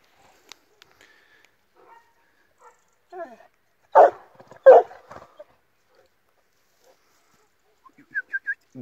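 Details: Illyrian Shepherd and Presa Canario mix dogs: two loud gruff barks after quiet stretches, followed by a few thin high squeaks at the close.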